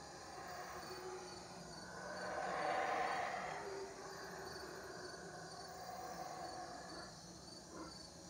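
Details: Loud howler monkeys in the Belize jungle at Teakettle, Cayo. A distant, breathy roar swells and then fades over a few seconds, over a steady hiss of insects.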